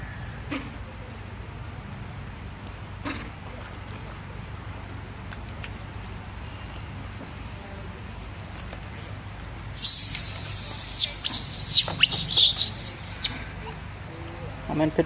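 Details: Little baby monkey Peter cries loudly while eating fruit: after a quiet stretch, a harsh, high-pitched shrieking burst lasts about three seconds, with brief breaks between cries, over a steady low hum and faint ticking background noise.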